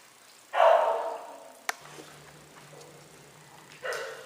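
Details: Puzz, a cat known as a talking cat, gives one loud, drawn-out, slightly falling meow lasting about a second. A brief click follows, then quiet room sound, and a second meow begins just as the recording ends.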